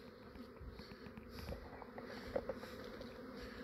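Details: Honey bees of an Australian swarm, foragers returning, moving into a hive box after capture from a yard; an even, low-level buzzing hum throughout with a few faint taps.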